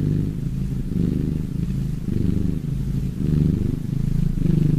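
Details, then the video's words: Several cats purring in a relaxed state: a steady, low rumbling drone that swells and eases in slow pulses about once a second, likely with each breath, and no other clear sounds. "Relax Purring cats!"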